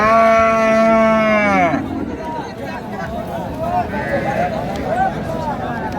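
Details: Cattle, cows with calves at the Raniganj haat in Dinajpur on 15 May 2025: one steady, drawn-out tonal moo lasting under two seconds that drops in pitch at the end, followed by busy market chatter and bargaining voices.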